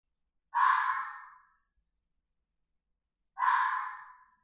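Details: Two drawn-out, raspy red fox screams, each about a second long, rough and breathy, fading at the end and separated by nearly three seconds of silence.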